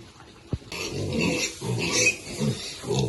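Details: Piglets eating, low grunting bursts around one second apart with a sharp click near the start and rustling, hissy noise above.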